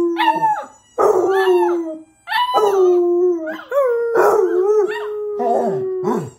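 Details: Basset Hound father and son howling as a lesson from father to son; overlapping long low howls and higher quavering cries, several phrases in a row with brief breaks, loud and close.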